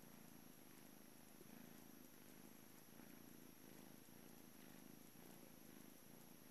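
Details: Blue male British Shorthair named Juno purring at the Calmcat cattery on his last morning before joining a new family; low, even rumble rising and falling in rhythmic cycles.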